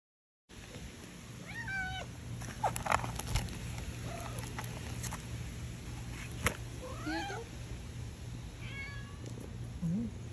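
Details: Group of orange cats being given tonic food, with soft scattered meows, some rising and falling, others short and squeaky, over a steady low electrical hum and faint clinks.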